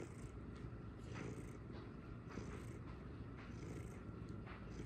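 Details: Domestic cat purring steadily: a soft, continuous low rumble with gentle rhythmic pulses of breathing, no other clear sounds.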